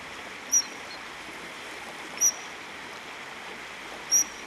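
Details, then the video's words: A Eurasian otter on a small stream between Trujillo and Monfragüe National Park, Spain, around 10 am, gives short, thin, high whistles about every two seconds over a steady hiss, calling to a second otter; three otters were present. "Fischotter - Ruf"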